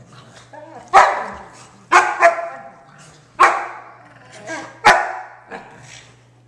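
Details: Indoor play-fight between an Akita and a blind Pug, with loud, harsh barks in four main bursts about a second apart, some doubled, over a steady low hum.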